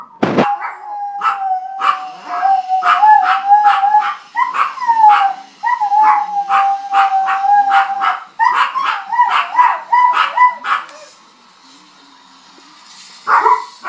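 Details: Domestic dog howling at a fire truck siren. Dense runs of short, strained yelps sit on a sustained siren tone, then fade to near silence before one final cry.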